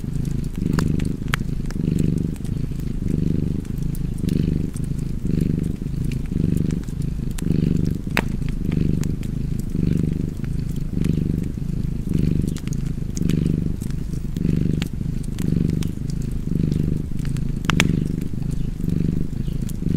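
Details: A relaxed cat purrs near a crackling fireplace, a deep throaty drone pulsing in regular in-and-out surges roughly every second for the whole stretch, with light fire pops and clicks overhead.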